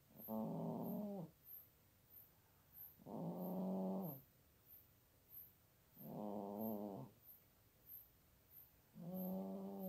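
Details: Nearly 17-year-old female cat snoring while asleep in a basket by a computer, Toowoomba, Queensland, Australia, unedited: four long, rasping, harmonic snores about every three seconds, separated by quieter breaths, with faint regular high ticking.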